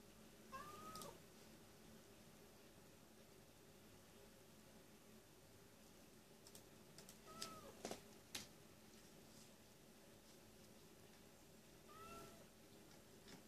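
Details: A cat crying in vain, giving three brief arched meows spaced several seconds apart, faint in a quiet room, with clicking like keyboard typing in between.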